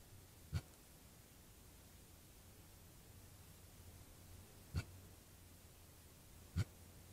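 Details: Male javelina with an injured, swollen left rear leg, alert to something in the darkness at night, gives three short, low, abrupt grunts spaced unevenly over about seven seconds against a quiet background hiss.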